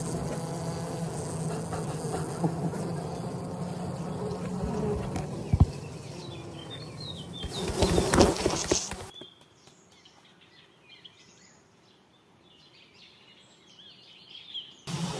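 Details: Honey bees buzzing at a hive during a honey harvest: a steady low droning hum with handling noises, a loud burst near eight seconds, then near silence before the humming returns at the end.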